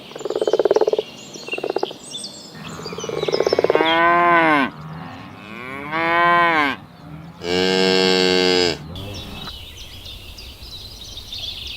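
Cattle give several loud, drawn-out moos, rich and throaty, with birds chirping faintly behind.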